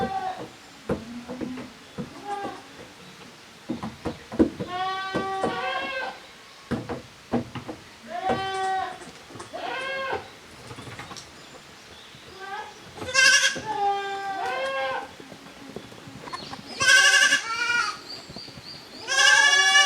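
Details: Two teams of young goats, Koharu's and Okayu's kids, playing at a handmade goat farm in Japan on 13 June 2023; a long run of bleats, from lower quavers to shrill high cries near the end, amid knocks and clatter.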